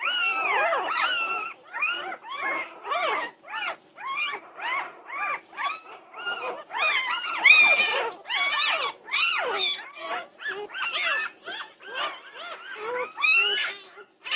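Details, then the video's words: Norwegian Buhund puppies raising a racket at 2:30 at night, June 8, 2021: a dense, continuous chorus of high yelps, whimpers and squeals from several pups, arched notes tumbling over one another without pause. "Puppy Pandemonium at 2:30am! Norwegian Buhund Puppies"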